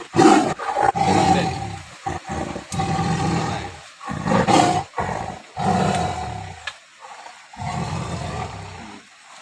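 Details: Sumatran tiger caught in a trap at Tapaktuan, South Aceh, after troubling local villagers and taking their livestock: harsh, rasping roars in heavy bursts roughly every second, separated by short silences, ending in quieter growling.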